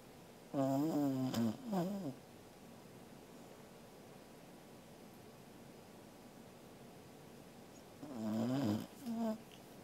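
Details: Sleeping Welsh Corgi named Angela, recorded 13 August 2021, gives two snoring breaths about seven seconds apart, each a wavering, whiny, humming tone with a short second puff, separated by quiet room hiss.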